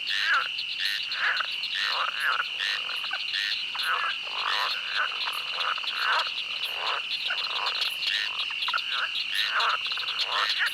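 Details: A chorus of frogs in a swamp at night croaks in quick, duck-like quacks over a steady high buzz of night insects.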